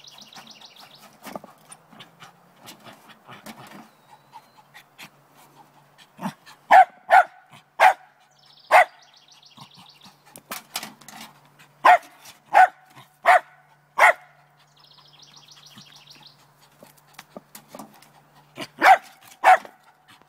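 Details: Lakeland Terrier Trina barks at a chipmunk in a downspout one morning, determined to get it: irregular bursts of sharp barks, pairs and runs of four or five, separated by quieter snuffling and faint chirping sounds.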